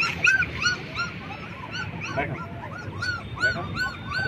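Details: Twenty-day-old black German Shepherd puppies give a string of short, rising-then-falling yips and whimpers, roughly two or three per second, several pups overlapping, over a low background hum.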